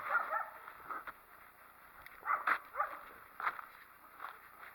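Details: Single wild coyote near a possible den area, unhappy with a person close by, letting out a string of irregular yips and short barks, some clustered in quick pairs, with faint rustling outdoors.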